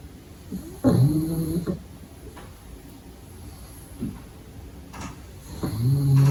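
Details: Pug puppy asleep in the daytime, giving loud, low, rattling snores with a buzzy harmonic tone, one near the start and one at the end, with soft snuffling breaths between.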